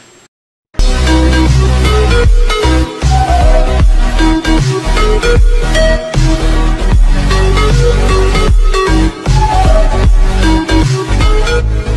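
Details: Loud electronic dubstep music with heavy bass and drums starts after a brief silence, with no animal voice.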